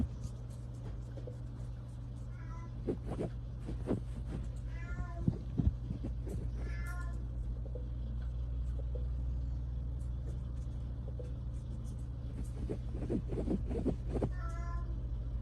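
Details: Chouchou, a two-month-old male British Longhair kitten, plays with his favorite toy. About four short, thin, high meows come at irregular intervals, along with soft rustling play sounds and a constant low electrical hum.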